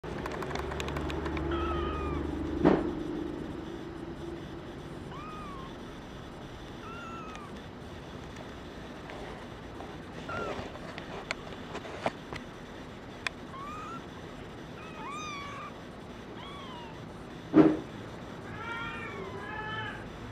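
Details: Brown tabby and white male kitten born 27 February 2011 and waiting for a new home. Thin, faint mews rise and fall, repeated every second or two, with a quicker burst near the end over a steady background hum and occasional knocks.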